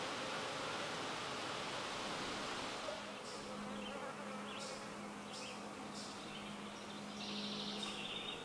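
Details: Leafcutter bee, one of a few building nest chambers in old holes in a brick wall; a steady low hum starts about three seconds in and holds to the end, with short high chirps from other creatures above it.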